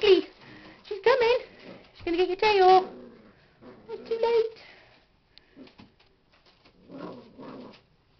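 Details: Puppies from Mindy's 2011 litter, Ted and Sylvie, indoors in a small room: drawn-out tonal whines that waver and dip, a few seconds apart, with a woman talking to them in between and quieter whimpers near the end.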